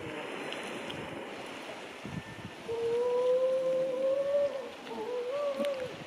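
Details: Atlantic grey seals hauled out on steep rocks near a beach colony in February, stranded until the tide returns; a long, smooth, slowly rising moaning wail, then a shorter second moan, over surf and wind.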